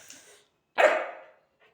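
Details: German Shepherd puppy, angry because it is not given food, lets out one loud, raspy bark that tails off over half a second, with a faint hiss before it.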